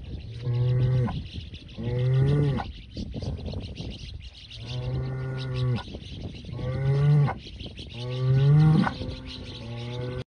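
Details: Aberdeen Angus bulls lowing: five deep, drawn-out moos over ten seconds, each a rich harmonic bellow lasting about a second, some ending with a slight upward lift, separated by short quiet gaps with faint background hiss.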